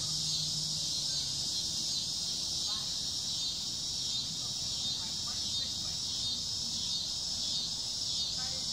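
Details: In summer, cicadas fill the air with a steady, high, shrill buzz that pulses gently about once a second.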